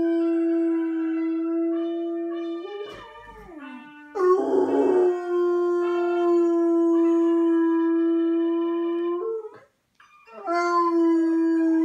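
A bloodhound gives long, sustained howls, holding a low, steady pitch rich in overtones. The notes break briefly, dip and waver in between, then swell back into the same drawn-out, mournful tone.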